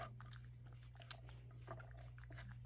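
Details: Male rescue cat Sacchan eating tuna at breakfast indoors at Kazeno Kobo: soft, irregular crunching and biting clicks, quiet against a steady low electrical hum, with a few sharper taps.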